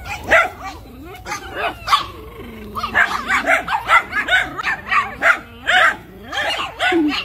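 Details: Miniature Schnauzer barking excitedly in a quick, uneven run of sharp, high yips and barks that overlap and tumble together, with short pauses between bursts.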